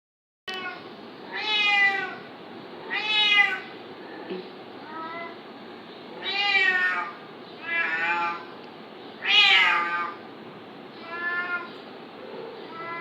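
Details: Domestic cat fighting a kitten, making a series of about seven loud, harmonic, wavering meows and yowls of varying length spaced irregularly over thirteen seconds, with a faint hiss of room noise between cries.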